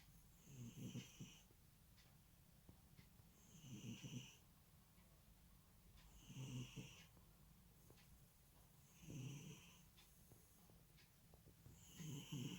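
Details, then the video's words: Sleeping pet cat snoring: five slow, rough, low snores roughly every two and a half seconds, each with a faint thin whistle riding on top, in a quiet room. "наш котик храпить / our cat snores"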